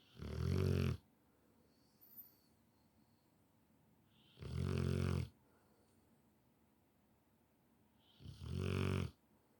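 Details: Deeply asleep Rottweiler snoring in a room, three harsh rattling snores spaced roughly four seconds apart, each low and throaty, with a faint snuffle in the quiet gap.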